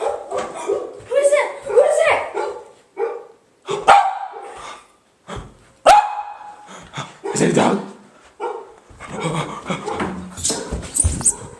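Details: Pet dogs fired up by a doorbell sound played on a computer, giving loud excited barks in irregular bursts while a person keeps asking who is there; doorbell chime heard midway.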